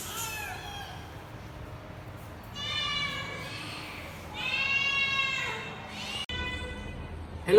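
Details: Three rescued baby kittens in Vietnam meowing loudly, said to be happy before adoption: two long harmonic meows, a shorter one and then a louder, longer one, with a man's voice and background noise around them.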